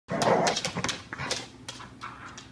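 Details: Pet Border Collie growling while savagely worrying her rope toy in play. A rough, noisy growl burst in the first half-second, then intermittent shorter snarling growls and scuffling as she shakes the rope.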